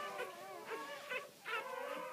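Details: Newborn Great Pyrenees puppy crying as its mother gives birth indoors: short, high, wavering squeals repeated about every half second, with a soft whine between them and faint background noise.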